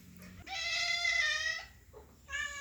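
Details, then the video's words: Cat giving a happy meow: a long, steady, tonal mew of about a second, then a short pause and the start of a second, similar meow. The background is quiet apart from a faint low hum. "cat sound effect | for dogs happy meow | cat sounds to attract cats"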